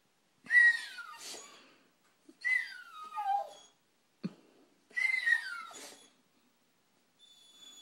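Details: Pet dog Bugsy whines indoors after seeing a squirrel, eager to get outside to stare at it. Three clear high whimpers, each gliding down in pitch, plus a short sniff or snort between them.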